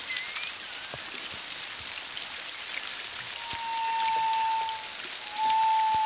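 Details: Distant humpback whales, at least two, recorded one to two miles off Culebra, Puerto Rico, February 25, 2022: a brief rising squeak, then two sustained clear tones, the second louder, amid steady crackling background noise.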